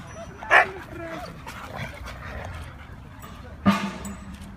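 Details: Siberian Huskies at play, from a pack named Mia, Nola, Bender, Fry and Max: two sharp single barks about three seconds apart, with people chatting in Russian in the background.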